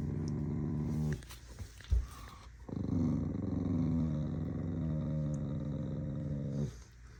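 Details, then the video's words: Angry corgi dog giving a low, rasping growl, broken by a short gap and a sharp thump, then one long sustained rumbling growl of about four seconds that fades at the end. "An angry corgi... Again..."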